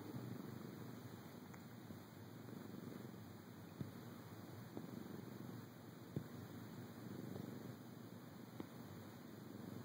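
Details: Felix, a pet cat, purring after being woken from a nap in a dark bedroom. A steady, low, rumbling purr runs continuously, with a faint grainy pulse and a few soft clicks.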